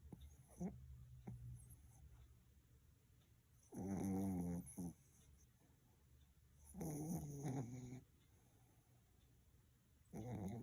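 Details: Sleeping Pomeranian snoring: three loud, rough, buzzy breaths with a low harmonic rasp, each lasting about a second and coming roughly every three seconds, with quiet breathing in between.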